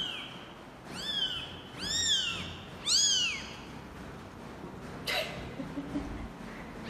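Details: Domestic cat calls as a father cat first meets his kittens and runs away; four high, arching meows sound in quick succession over three seconds, followed by a sharp rustle and then faint background noise.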